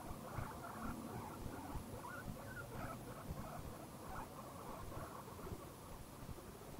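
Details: Contented guinea pig making soft, short squeaky chirps and murmurs in quick irregular succession over a steady background hiss and faint high whine.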